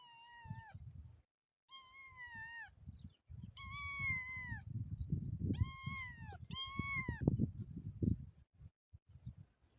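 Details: Motherless kitten calling: five loud, high meows, each a short falling or arched wail with rich overtones, spaced about a second or two apart, over steady low rumbling handling noise.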